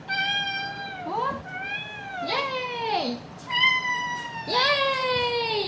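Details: Domestic cat from a weekly compilation of cat voices, giving a series of loud, drawn-out meows about a second apart, each one sliding down in pitch at the end, with a person talking softly in the background.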